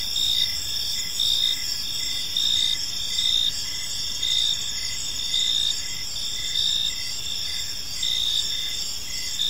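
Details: Crickets chirping in a peaceful park as evening unfolds: several high, layered tones, with a steady shrill trill underneath and brighter chirp pulses about once a second. No other clear sounds.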